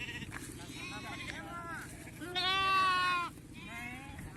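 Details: Flock of sheep brought one at a time for PPR vaccination; shorter bleats and a man's voice, then a loud, strained, quavering bleat lasting about a second, followed by a softer fading call.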